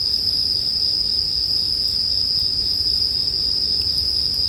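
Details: Continuous shrill ringing of bell crickets, a dense chorus at one constant high pitch, layered over the faint popping and rumble of a crackling campfire meant for sleep.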